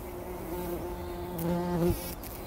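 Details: Bumblebee wallowing in a poppy flower in the early morning before sunrise, 2019; a strong, close buzzing drone that swells louder and climbs briefly in pitch before it cuts off abruptly.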